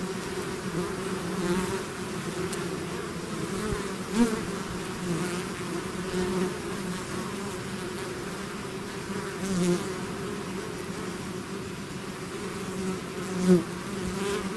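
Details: Bees swarming out of their hive produce a continuous low drone; three louder swells around four, nine and thirteen seconds mark bees flying right past, over a steady background hum.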